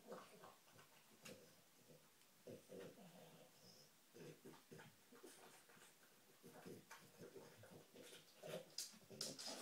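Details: Dog, female, nosing around for treats: rapid, irregular sniffs about four per second, crisp and breathy, building to sharper snuffles toward the end.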